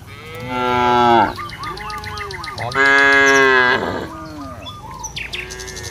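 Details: Village cattle roaming a field, calling companions to return to the pen: two loud, drawn-out harmonic moos about a second each, separated by a short gap, with small birds chirping throughout.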